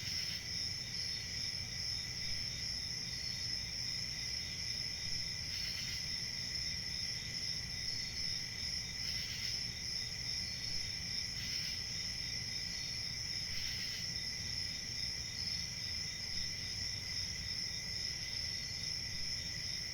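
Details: A chorus of crickets keeps up a shrill, continuous trilling at a very even pitch. Brief soft rustling bursts break in four times, around the middle and later part, while a low background murmur runs throughout.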